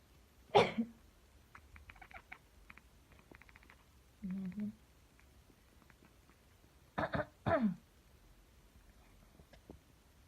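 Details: Napping house cat named Dolce, disturbed by a person's coughing, answers with chattering: a coarse cough first, then a run of rapid dry clicking pulses, a short low murmur, and two more loud coughs near the end.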